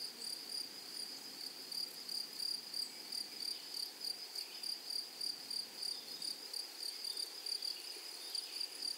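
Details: Grasshoppers in a flowery meadow or prairie: a high, thin insect trill pulsing about three times per second, with a fainter, even higher overtone above it. No other animals or voices stand out.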